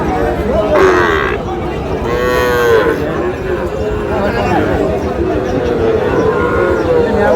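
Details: Young bulls and heifer calves bought by a farmer from Shariatpur: low drawn-out moos, one rising and falling, over a noisy crowded background with faint voices.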